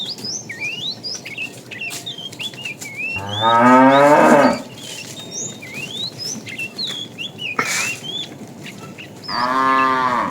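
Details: Tame fat cow calling a female while a herd is driven in the afternoon; two harmonic moos, a long loud one then a shorter one near the end, over steady chirping birds.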